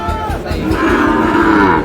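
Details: Sahiwal breed bull calves in Noakhali, Bangladesh, giving a short, drawn-out moo that rises slightly and holds steady, with a murmur of crowd noise and voices behind it.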